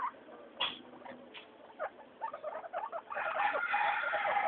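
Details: Pet guinea pigs Mayumi, Archie and Miyuki out for their weekly floor time, scattered soft squeaks and chirps building into a loud, sustained run of high whistling wheeks over the final second and a half.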